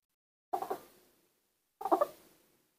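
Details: Two brief, rough squeals about a second apart come from newborn baby monkeys raised by hand and trying to learn to walk, with quiet between the calls.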